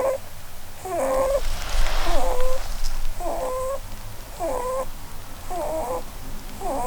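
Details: Blueberry, a female Holland Lop rabbit, snores while sleeping and dreaming under a Christmas tree. Squeaky, whistled nasal snores with bending pitch come roughly once a second in a steady breathing rhythm, over a quiet indoor background.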